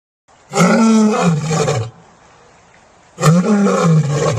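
A lion gives two deep, rumbling roars, each lasting over a second with a short pause between.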